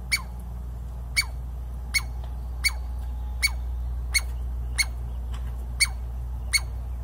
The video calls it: Hopping Mad Douglas Squirrel Barking At Me!